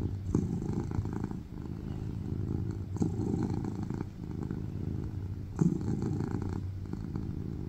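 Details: Steady loud purr of a tuxedo cat lying on its owner's lap, a deep rumbling hum swelling with each breath roughly every one and a half seconds, with a small tap partway through.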